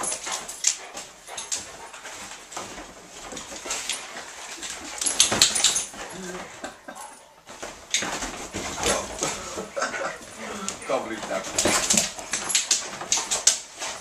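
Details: Rocky and Rosie, a pair of Otterhounds, in a wrestling game: dense, hissy scuffles and huffing breaths come in uneven bursts, louder around the middle and end, with a brief human voice.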